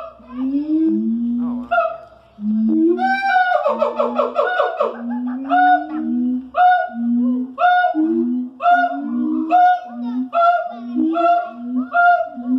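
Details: A siamang calls loudly in the morning at Columbus Zoo, mixing deep resonant booms with higher whooping and barking notes; such calls carry throughout the zoo.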